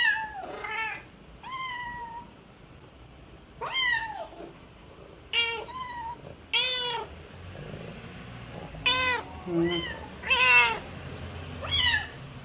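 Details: Kitten crying while its mother cat teaches it, mother cat answering at times; irregular harmonic meows, some short and rising, a cluster of strained calls near the end over low background rumble.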